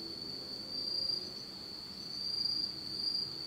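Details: Insect voices in pitch darkness on a Japanese autumn night: an unbroken high, thin ringing tone, steady and bright, with faint low murmur beneath.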